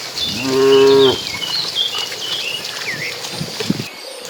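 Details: Cattle in a herd of dozens migrating to green pasture give one smooth, harmonic moo lasting about half a second, followed by chirping birds and light rustling.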